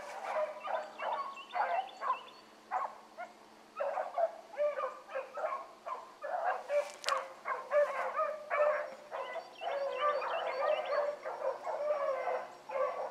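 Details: Pack of hound pups trailing a rabbit in the morning, Ringo, Mingo and Choco leading; steady rapid baying from several dogs, short harmonic yelps stacked closely over thirteen seconds, one brief sharp noise midway.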